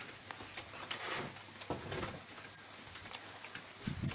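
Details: House crickets raised in captivity keep up a continuous piercing high trill, with light rustling and a few low knocks underneath.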